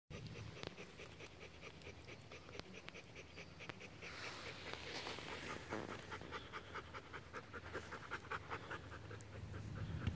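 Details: Bernese Mountain Dog panting in quick, somewhat uneven breaths, about two and a half per second, with a broad rushing noise in the middle and steady low rumble underneath.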